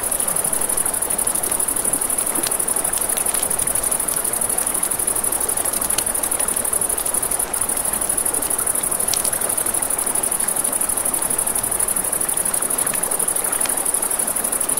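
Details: At night near a river, a constant high cricket chorus pulses rapidly without pause, beneath it crackling campfire pops and the steady rush of flowing water, with one short break in the trill.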